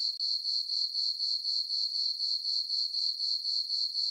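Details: Night crickets in a full-moon summer meadow on a farm: a thin, high trill pulsing regularly, about four chirps per second, with no background sounds.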